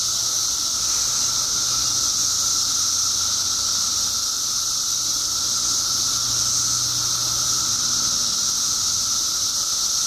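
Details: Continuous roaring chorus of periodical cicadas during their 17-year mass emergence in Illinois, billions strong: high sizzling buzz layered over a constant lower whine, with a faint low hum in the background.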